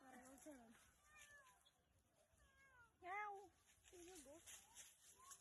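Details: A pet cat that stayed out overnight and did not come home until it was fetched gives a run of about seven varied meows over five seconds. Some are wavering and some rise and fall, with the loudest sharp one near the middle.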